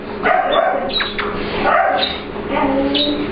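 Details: Ester, an English Bulldog/Pit Bull mix puppy, meets client dog Layla for playtime in a grooming room at work, asserting the room is hers; short tonal yips and whiny grumbles come in bursts over a steady mechanical hum.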